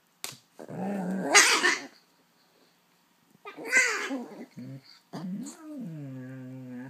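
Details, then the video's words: Female husky/German shepherd mix dog making noise while playing with her ball: three bursts of growly, harmonic yowling, the first two rough and rising, the last a longer steady moaning tone, separated by short silences. "(husky/german shepherd) likes to make lots of noise when playing with her ball"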